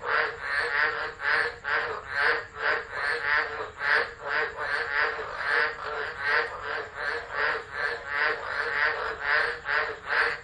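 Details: Tropical frogs calling in chorus during a tropical low storm at Driver, Northern Territory, Australia, 13 December 2013, phone left recording; dense pulsing chorus, bursts about five per second, energy centred near 2k band with steady high insect-like hum above.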